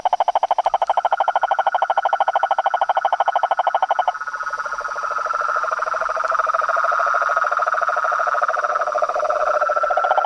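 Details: Pond frogs and toads calling at dusk in front of a house veranda, a noisy nightly chorus: loud fast pulsed trilling for four seconds, then a continuous layered croaking drone with overlapping callers.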